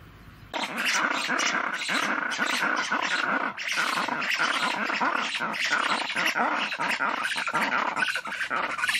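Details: A red ruffed lemur (Varecia rubra) bursts into a loud, harsh scream that pulses on without pause.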